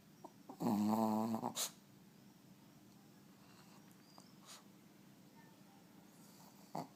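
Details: Sleeping pet dog snoring: one loud, drawn-out voiced snore lasting about a second, with a low, steady buzzing tone and a brief snort at its end, then quiet room background with faint breaths.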